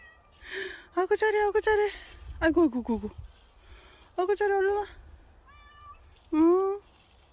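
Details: Indoors, the dog-like house cat Bobae answers a person with drawn-out meows, one sliding downward, then a final upward-curving mew, interleaved with lively human chatter.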